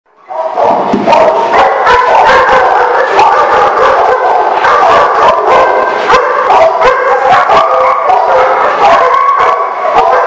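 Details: Many dogs barking at once in a loud, dense chorus, with sharp overlapping barks, yips and drawn-out howls running continuously without pause.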